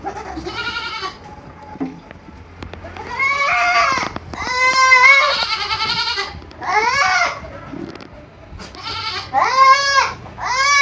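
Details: Young goats at a farm in Purwokerto, Indonesia, giving loud nasal bleats with rising-then-falling wavering tones, about six calls of roughly one second each spaced by short pauses.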